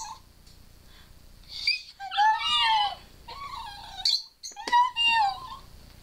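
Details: Scarlett, a pet dog coaxed by squealing in the background, gives wavering, moaning 'talking' phrases after a quiet opening, two longer bends then a shorter whine, inside a small room.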